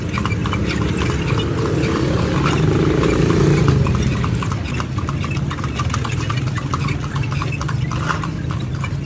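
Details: Horse ridden through Vigan, Philippines, hooves striking the ground in a quick regular clip-clop, with a deep rumbling background that swells midway.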